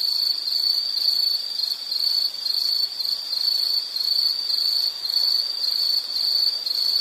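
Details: High, ringing insect trill from a nature sound recording, steady and unbroken with slight regular throbbing, nothing else clearly audible.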